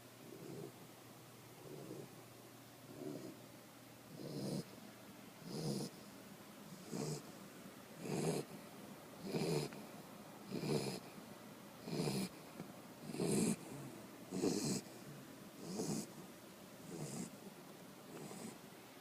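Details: Tricolor Corgi asleep, snoring steadily: about fifteen low, rumbling snores with a breathy hiss on top, one roughly every 1.2 seconds, swelling louder through the middle and easing slightly toward the end; otherwise quiet room.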